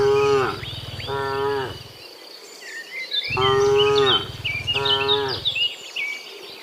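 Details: Herded cows walking from the fields to the pen in the afternoon; four harmonic moos in two pairs, each over a deep low rumble, with lively bird chirps and insects in the background.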